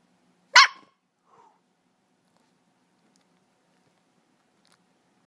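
A Corgi puppy lets out one sharp, high-pitched bark, then a faint, soft yip.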